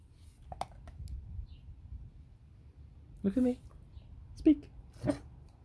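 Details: Female beagle indoors, barking when asked to speak: after a few faint clicks, three short, sharp barks come one to two seconds apart, each a brief tonal yelp, in a quiet room.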